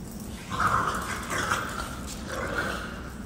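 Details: A three-month-old French Bulldog puppy growls in three short, rasping bursts, a threat that it is ready to fight.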